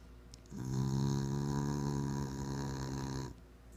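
A Bull Terrier snores with a low, rumbling, raspy drone held for about three seconds.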